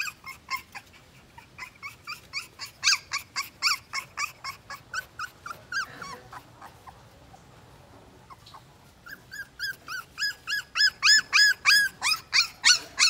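A two-week-old Siberian Husky puppy cries in a rapid series of thin, high, arching squeals.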